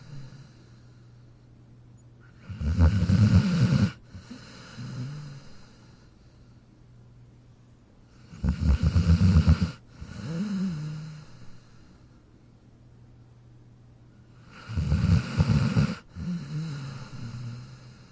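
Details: Jack the dog snoring in his dog bed: three evenly spaced rumbling snores roughly every six seconds, each a loud rasping inhale followed by a shorter, softer whistling exhale.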